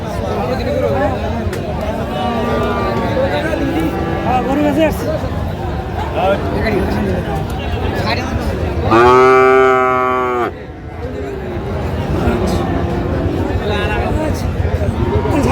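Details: Friesian and crossbred bull calves at Raniganj cattle market, Dinajpur, Bangladesh, 20 March 2025; one loud, rich, harmonic moo of about a second and a half rises over steady market chatter, with fainter lowing and men bargaining before and after.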